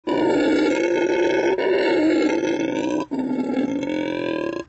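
Howler monkey giving a loud, sustained, rasping roar with brief breaks between deep bursts.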